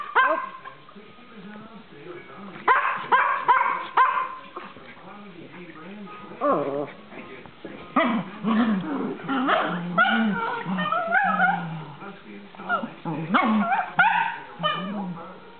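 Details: Several house dogs barking and yipping in excited bursts while playing together one evening with a visiting dog, separated by quieter gaps, with a person speaking in between.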